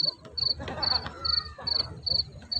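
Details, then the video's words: Kuliglig, a field cricket, recorded live and unedited at the Al Khobar Corniche. It gives a steady series of shrill, high, pulsing chirps, about seven evenly spaced bursts roughly every 0.4 seconds, over soft low background noise. "Narinig niyo ba mga kabugoy yung kuliglig natin sa bukid? Pakinggan niyo mga kabugoy."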